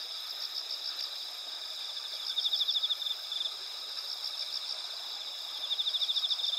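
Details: Autumn insects calling on a clear, nearly full-moon night over rice fields with red spider lilies and pampas grass in Asuka Village, Japan, on 20 September 2021: steady high trilling bands, with a louder pulsed chirping burst near the middle and again at the end.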